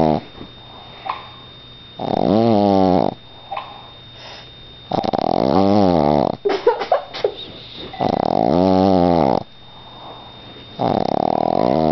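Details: Pet Boston Terrier asleep in a small room, snoring in heavy drawn-out rattling breaths, four loud snores spaced about three seconds apart, with soft wheezy sniffs and small rustles between them.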